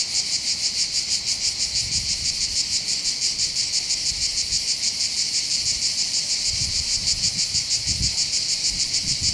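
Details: Summer cicada chorus from the hills over Bandol, Var, southern France, near the Mediterranean coastal path: intense sizzling buzz beating in quick regular pulses roughly three per second, with soft low wind gusts.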